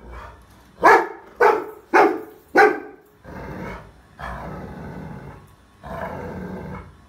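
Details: Rottweiler puppy barking at a trolley bag: four loud, sharp barks in quick succession about every half second, followed by lower, rough sustained growling sounds.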